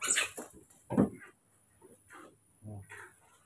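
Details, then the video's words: Newborn baby monkeys Moni and Mino during muscle strength training, giving a few loud, short, harsh squealing bursts, the strongest near the start and at one second, followed by quieter broken cries, with a woman speaking Indonesian close by. "Train the muscle strength of newborn baby monkeys,Moni&Mino baby monkeys to stimulate their strength"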